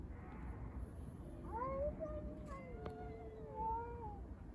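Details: Street cats fighting over a litter box: drawn-out, wavering yowls that bend up and down in pitch, overlapping in the second half, over a low rumbling background.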